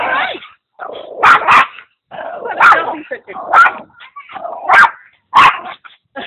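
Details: Barking from Putter, a Maltese and Papillon cross, during play with the pug mix Igor: five or six loud, rough barks spaced about a second apart, each followed by a short quieter yelp, with some speech.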